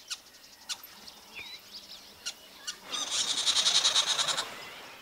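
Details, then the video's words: Squirrel, about 15 cm long, raising an alarm in Zambia's Luangwa Valley that warns other animals of predators: a few sharp scattered clicks, then a fast, dry, high-pitched chattering burst lasting about a second and a half, with faint bird chirps around it. "Long de 15 cm seulement, l'écureuil est le lanceur d'alerte le plus bruyant."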